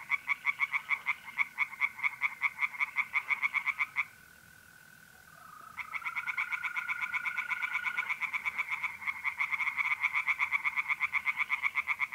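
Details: Pond-side tree frogs sing by night in mid-April, North-East Italy: quick rattling pulse trains, a two-second lull filled only by the smooth, unbroken trill of mole crickets, then dense croaking resumes to the end.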